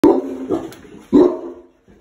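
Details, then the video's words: Big Boerboel mastiff outdoors on guard, barking after hearing a car pull up out front; two loud, deep barks about a second apart, the second trailing off. "Big Boerboel on duty"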